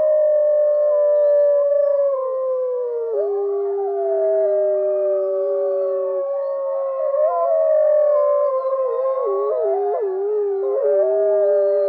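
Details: Wolves in a chorus of long, overlapping howls: several drawn-out steady tones layered together, one lower voice dropping out midway, then the voices waver, bend and glide up and down toward the end, with no other sounds.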